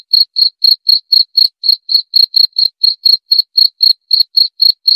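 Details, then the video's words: A steady train of sharp, high-pitched cricket chirps comes at around four per second, each pulse short and clear, with no wind, voices or other animals behind it. "Suara Jangkrik"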